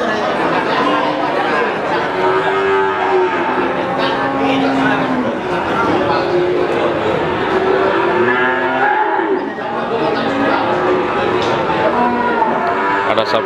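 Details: Many cattle at the Pati cattle market, Pasar Sapi Wagenan, moo in overlapping drawn-out calls that waver in pitch, set against constant human chatter and market bustle.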